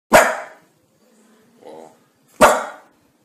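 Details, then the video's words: Domestic dog barking twice, sharp broadband barks about two seconds apart with a soft low whine between them; otherwise quiet. "Szczekanie Psa 2019"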